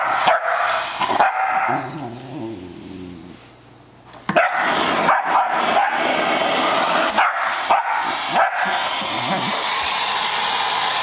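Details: Pet Shetland Sheepdog fighting off a running floor vacuum it hates, letting out short high yips and barks in irregular runs, with a short lull when the machine's hum drops before resuming loudly.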